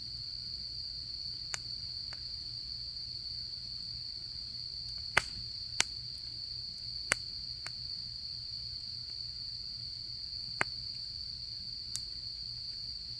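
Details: Autumn insect chorus beside a campfire: a constant, even high-pitched trill holds steady the whole time while sharp wood-fire pops and crackles break in every second or two.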